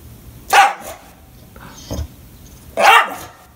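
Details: English Bulldog, a pet dog, barking and crying in a fit when nobody plays with him; two loud, harsh, broad barks about two seconds apart with a softer short yelp between them, indoors with quiet background.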